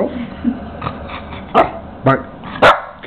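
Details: A male toy Miniature Pinscher gives sharp, high yappy barks in short bursts as he attacks his reflection in a mirror, while a person speaks quietly.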